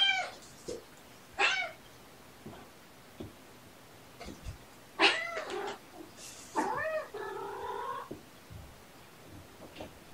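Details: Several kittens, born November 22 and living with their surrendered mother, play indoors while one kitten squawks at a persistent playmate to stop: short harsh wavering squeals, a few seconds apart, ending in a longer, drawn-out complaining cry, with thumps between.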